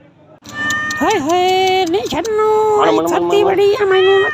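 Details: Cat giving a long, drawn-out meow: a short rising yowl, then a steady, level tone held for about three seconds that wavers and breaks near the end.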